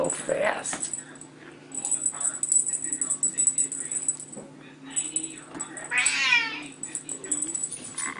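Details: Young Bengal cats at teaser-toy playtime: a brief high meow at the start, then a louder, longer falling meow near the end, over people talking and a steady high jingling of the toy.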